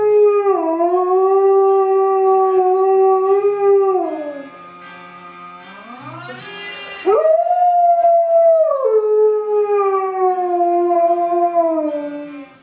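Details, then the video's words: Alaskan Malamute singing along to the song Dream On, a long-drawn harmonic howl that slides down in steps, breaks off briefly, then rises again into a second sustained wavering howl; music faintly underneath. "Dog Sings "Dream On" by Aerosmith"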